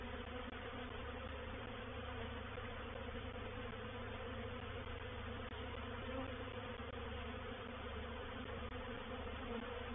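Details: Swarm of honey bees moving into a bait hive at Painted Peacock Manor on 04/07/21; a softer, steady massed buzzing with a deep low rumble underneath, continuous for the whole stretch.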